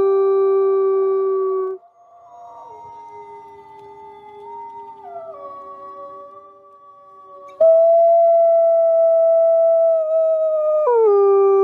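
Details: Winter arctic wolf pack sounds: drawn-out, smooth howls at several pitches overlap. The tones hold steady, then shift in steps. After a quieter, wavering middle stretch, a loud, level howl returns and drops sharply near the end.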